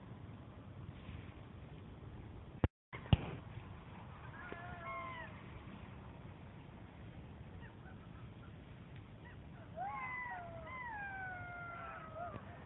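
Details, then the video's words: Territorial group of wild golden jackals howling in Kras, Slovenia, near the Italian border, during a trans-boundary jackal survey. Faint wavering wails rise and fall midway, then a louder overlapping chorus of sliding howls closes, over low rumbling background noise. "Golden jackals howling in Slovenia"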